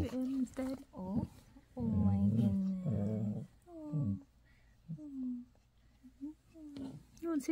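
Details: A female Labrador retriever gives a loud happy growl at bedtime: low, throaty, rumbling growls that swell and waver in pitch, some over a second long. A woman talks softly and soothingly over and between them.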